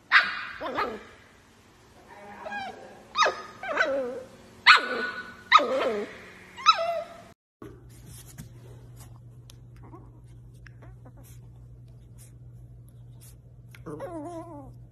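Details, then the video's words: Playful miniature dachshund barking indoors: a run of about seven sharp, high, yappy barks over the first seven seconds, then a steady low hum with scattered soft clicks, and a brief whining yelp near the end. "Funny Miniature Dachshund NONSTOP playful"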